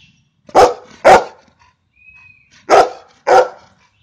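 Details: Golden retriever named Louis gives loud, deep barks in two pairs, each pair of quick woofs separated by a pause.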